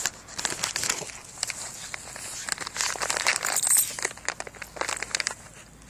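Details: Outdoors, a puppy practising fetch is heard only as rapid crinkling and rustling bursts with a faint distant voice, and no barks or other animal calls.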